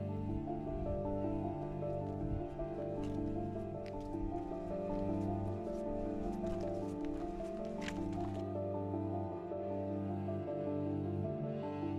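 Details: Steady background music with sustained tones and a few soft clicks, with no animal sound. No calls or cries stand out above the music.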